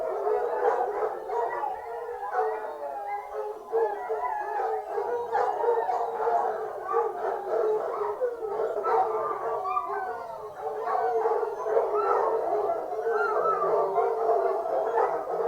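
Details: A pack of foxhounds on a fox hunt bays together in a dense chorus of overlapping, wavering howls, with hunting horns also sounding.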